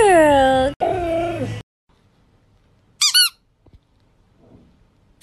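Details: Siberian Husky at home with its owner, giving two drawn-out, falling, strongly harmonic howling cries, then a pause and brief high squeaky sounds at about three and five seconds.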